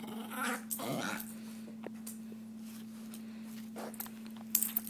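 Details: Basenji and Pekingese dogs play fighting indoors on a bed; a short, low, rough growl comes near the start, followed by rustling and scuffling sounds, with a steady electrical hum throughout.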